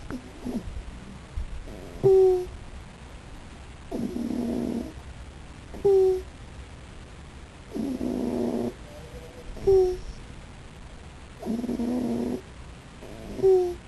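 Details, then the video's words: Raccoon sleeping and snoring in a steady rhythm, about every four seconds: a short whistled squeak on each breath, then a buzzy, rasping snore of roughly a second, with quiet between. "Raccoon/Waschbär Molly schnarcht / is snoring"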